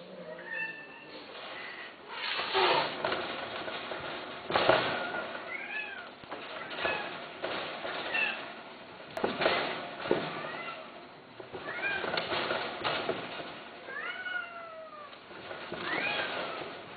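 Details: Domestic cat meowing repeatedly, short rising and falling mewing calls in quick succession over a busy background with thumps and clatter.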